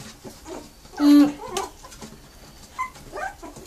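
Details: Brazilian Terrier puppies of a kennel litter in Joinville, Brazil, with one sharp loud yelp followed by a couple of fainter squeaky whines.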